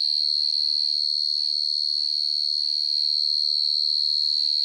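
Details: Shrill, high chirping of a field cricket at night, one even pulsing tone held through the whole stretch with a very faint low hum near the end.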